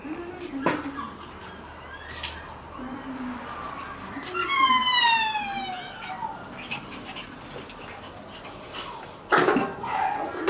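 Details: Shiba Inu puppies tussling over a string: a high, falling whimper with bright overtones midway, with brief yelps and low grumbles around it and sharp knocks of play near the start and end.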